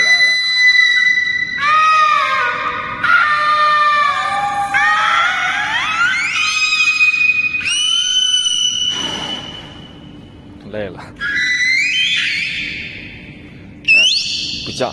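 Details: Two captive young beluga whales singing in an aquarium with their trainer, one drifting off-key then returning, seemingly tired. Long harmonic whistles slide up and down, with rising glides, squeals and brief pauses, and faint voices in between.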